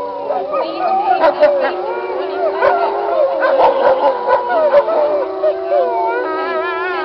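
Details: A pack of wolves howling together, one long steady low howl held under a tangle of higher wavering, yipping voices, with short sharp barks and yips scattered through.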